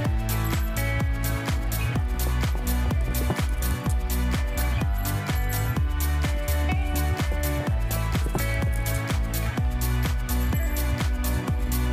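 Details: Upbeat electronic dance music with a driving regular beat plays throughout.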